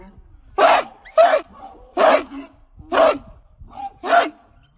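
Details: A chained American Pit Bull Terrier, King Rocco, weighing 66 pounds and of Redboy Jocko lines, gives five raspy, forceful barks at steady intervals of under a second.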